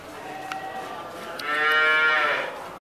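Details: Dairy cow lowing during milking: a drawn-out harmonic moo rising in loudness over about a second and a half, preceded by faint background noise and a couple of brief clicks.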